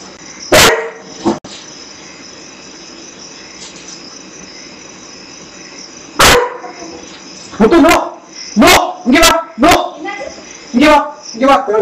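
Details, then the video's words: Dog named Muthu caught on CCTV barking in a strange voice after sniffing out a deadly black scorpion; sharp, separate barks, a couple early, then a rapid cluster of about eight, over a steady high electronic hum. "Muthu sniffs and finds a deadly black scorpion and barks"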